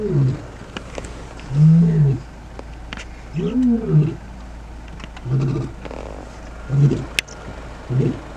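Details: Big male lions roaring during a territorial dispute at the start of a male takeover, southern Kruger National Park, South Africa, morning. Deep grunting roars in a series of pulses roughly every second, with brief pauses and faint background noise.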